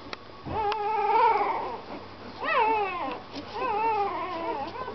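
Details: Young puppy whining during the ride home: long drawn-out, quavering whines, one sliding up then down in pitch, each lasting about a second, over a constant low hum.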